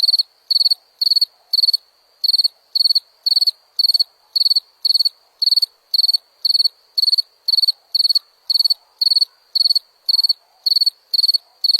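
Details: Cricket giving a steady series of shrill chirps, each a quick cluster of four or five pulses, repeated about twice a second over the whole stretch with one short gap; thin continuous high hum underneath and no other sounds.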